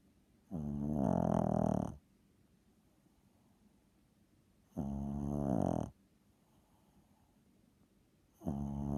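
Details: Loud snoring from a sleeping 7-pound pet dog. Long, grating snores of about one to one and a half seconds come at intervals near four seconds, separated by near silence.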